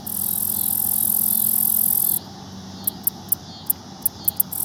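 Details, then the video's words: At approaching sunset, a black-legged meadow katydid (Orchelimum nigripes) perched on a pickerelweed leaf at a pond in the Houston Arboretum, Texas, stridulates: a long, high, hissing buzz, then a run of short ticks. "Katydid makes some noise"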